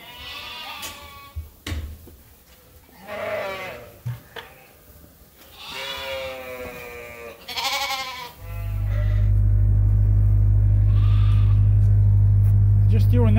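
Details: Sheep bleating while awaiting feed during farm chores at Ewetopia Farms. A run of varied bleats, some high and wavering, others lower and brief, fills the first eight seconds. A steady loud mechanical hum then takes over.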